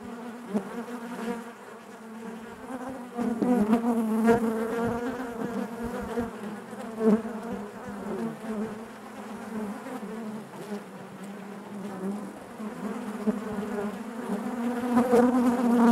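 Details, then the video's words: Continuous low buzzing of honey bees inside the hive, a rich droning hum that grows gradually louder toward the end, dotted with quick whirring passes of individual bees. "bees therapy hive natural buzzing sound"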